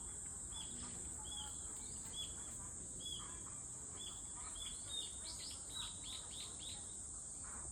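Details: Unvarying shrill cicada whine running the whole time, with birds chirping in short sequences, a rapid run of chirps near the end.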